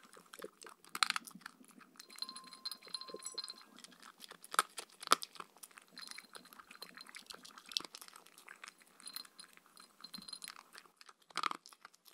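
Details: Evening meal sounds from Mindy the Shetland Sheepdog eating raw kangaroo food topped with coconut oil. Scattered sharp crunches and licking clicks come irregularly, some loud bites standing out, with faint intermittent metallic ringing.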